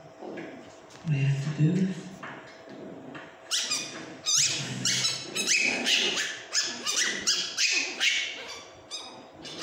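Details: Pomeranian puppies playing on a sofa give rapid, high, squeaky yips and whines in quick succession.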